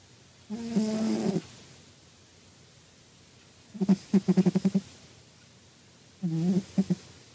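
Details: A cat asleep, sniffling and snoring in short bursts: a long low nasal snore, then a quick stuttering run of about eight little snorts, then another rasping breath.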